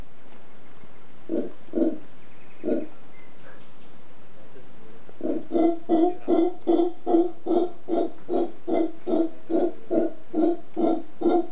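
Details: Howler monkeys on Volcano Concepción, Ometepe Island, Nicaragua. A few low, hollow grunts are followed by a steady run of deep, guttural pulses, repeated about two or three times a second. A faint high hiss runs throughout.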